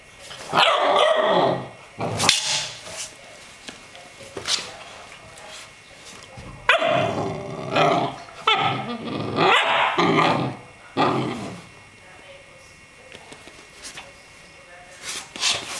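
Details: Two Rhodesian Ridgebacks, a 4-year-old and a 10-week-old puppy, playing together: bursts of rough growling and sharp barks in irregular clusters, with quieter gaps between.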